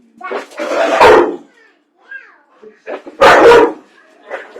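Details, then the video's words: Indoor dog in a small room barking at popcorn, two loud broad bursts near one and three seconds with quieter voices and soft noises between. "Dog Hates PopCorn"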